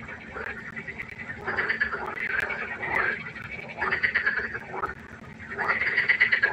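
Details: Pond frogs croaking at night in uneven waves: raspy, trilled bursts from several animals build, pause briefly, then return, over a soft background hum.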